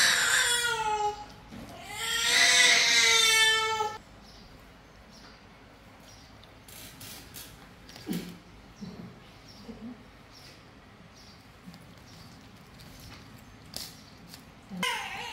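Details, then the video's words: Sick domestic cat being fed, meowing: two drawn-out harmonic meows in the first four seconds, the second loud and wavering, followed by near quiet with faint clicks and rustles and a brief call at the very end. "Feed the cat it's sick little viral USA meow"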